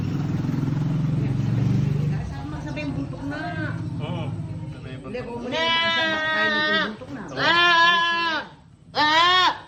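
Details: Goat on a Philippine farm during a birth, with a newborn kid nearby; after a few seconds of speech and low rumbling, three loud, wavering, strongly harmonic bleats rise and fall, with background music.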